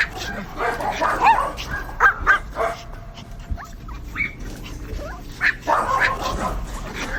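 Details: Barking dogs, irregular sharp barks and a few high yips spaced about half a second apart, over a steady low background hum.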